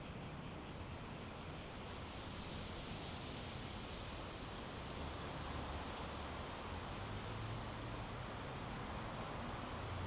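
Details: Cicadas in a steady chorus, a pulsing high buzz held throughout above a broad low rumble of background noise.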